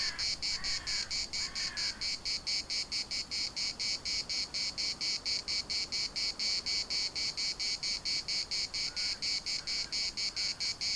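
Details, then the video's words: Cicadas singing in the municipal park of Larnaca: a loud, high buzzing pulsed about twice per second in a steady rhythm, with a few short harsh bird calls near the start and faint calls later, and light wind. "CICADAS at the municipal Park Larnaca"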